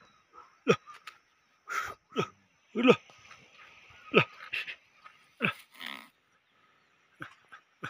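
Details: Bhote Kukur, the Tibetan Mastiff, at an Okhaldhunga kennel, barking in sharp, loud single barks spaced irregularly about a second apart, each bark dropping quickly in pitch, with quiet pauses between.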